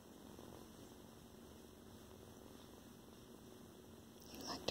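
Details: A tiny foster kitten's loud, soft, steady purr rumbles low and even, with a faint electrical hum behind it.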